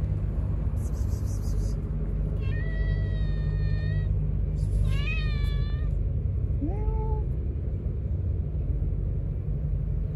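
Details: Street feeding of a hungry stray cat that lost an eye, other cats trying to steal its food; two drawn-out level meows then a short upward-bending mew, steady low vehicle rumble underneath.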